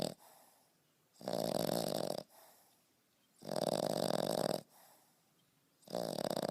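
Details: Deep sleep snoring from a French Bulldog puppy, 5.5 months old: two full, loud, grating snores of about one second each, then a third starting, with softer breathing between them in a quiet room.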